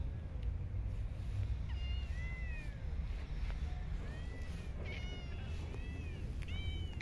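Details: Homeless street cats at feeding time in a city park, a series of short high meows, several arching up and down, repeated every second or so against a constant low urban hum.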